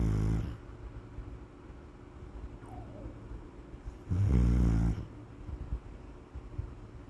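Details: Sleeping Pit Bull snoring: low, rumbling breaths, with one louder, rougher snore in the middle and quieter snuffles around it.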